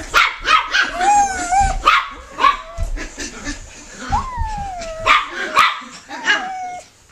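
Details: Puppy giving a busy run of high, sliding whines and short yelping yips, several tones bending downward, bursts following each other about every half second to second with brief soft gaps between.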